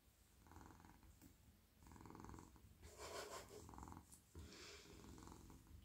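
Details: Friendly, very soft male house cat purring as he is petted in the evening, melting into a person's lap; steady low rumble pulsing in breath-length bursts, with brief rustling and handling noise midway.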